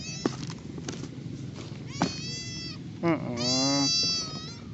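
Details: Helpless cat found at a roadside, thought to have been hit by a vehicle, its body covered in black mud; a long, harmonic-rich meow lasting about a second follows soft clicks and a person speaking quietly nearby.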